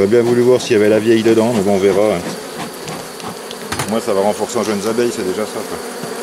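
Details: On 3 May 2021, during the rescue of a drone-laying honey bee hive that had received a brood frame and nurse bees from the adjacent colony, loud droning buzzes sweep up and down for two seconds, then fade into softer, scattered bee hum.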